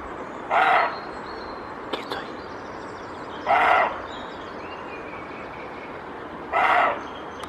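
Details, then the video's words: A male roe deer, alerted by a slight noise behind it, gives hoarse, gruff barks spaced about three seconds apart, warning off an intruder from its territory. "Corzo ladrando ( Capreolus capreolus ) - HD !"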